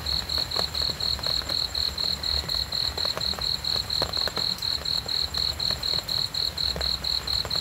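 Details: A cricket keeps up a regular chirping rhythm, high and clean, roughly four short pulses each second, with a dull low rumble and occasional faint clicks behind it.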